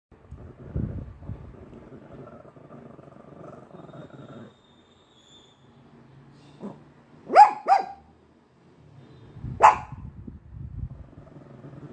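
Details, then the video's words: White Pekingese indoors barking at a ghost: after a low rumbling stretch and near silence, a soft woof, then two sharp barks in quick succession and a third sharp bark two seconds later. "White pekingese barking at a ghost"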